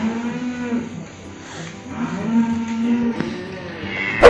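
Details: A Simmental bull weighing 1.1 tonnes, sold as a sacrificial animal at a cattle trader's during the Eid al-Adha season, gives a long, low, drawn-out moo with rich harmonics. Voices murmur nearby, and a sharp clatter ends the clip.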